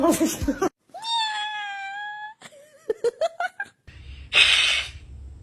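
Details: Domestic cat in a compilation of cats attacking things: a long, steady, harmonic meow held for over a second, then a run of short chirping calls, with a burst of noise, music and speech around it.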